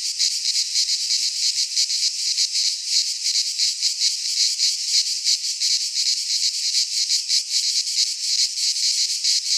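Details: Midsummer chorus of cicadas in a pine forest in Greece, a continuous high, hissing drone that throbs in rapid, uneven pulses without pause; nothing else audible.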